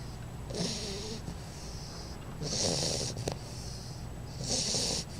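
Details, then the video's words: Sleeping baby bulldog named Einstein, female, snoring indoors: three loud airy rasping snores about two seconds apart, each with a brief throaty rattle at its start, over a faint background hum. "baby bulldog snoring"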